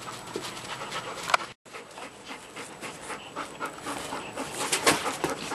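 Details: Two eight-month-old giant schnauzer pups panting while playing with their Jolly ball, September 30, 2012; irregular breathy huffs and rustles with a brief silent gap early on, growing louder toward the end.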